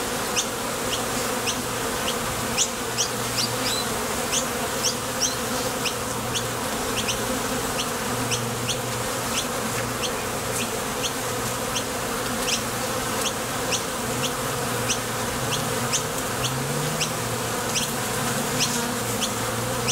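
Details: Constant wing buzz of bees coming and going at a Top Bar Hive entrance during nectar foraging, a thick low drone that never fades, with many quick high ticks sprinkled through it.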